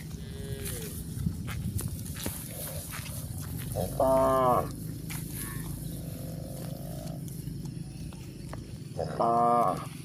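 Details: Grazing village cows on pasture; two brief, strained moos about five seconds apart amid soft rustling background noise.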